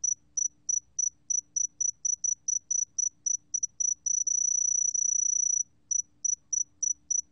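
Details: A Sae-geumbit-jongdari cricket, recorded in 2020, sings high, pure chirps about three to four times a second, then a steady trill of over a second before the chirping resumes.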